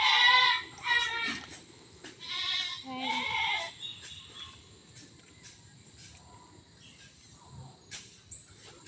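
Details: A playful, naughty goat kept where pineapple is grown gives three wavering, nasal bleats in the first four seconds, each about half a second long. Quieter rustling and scattered clicks follow over a steady faint hiss.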